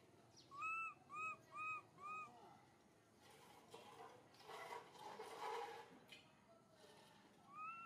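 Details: Little monkey MoMo calls for its mother Malika in a park with four quick arched, whistled coos, followed by rustling, broadband noise and a single last coo at the end.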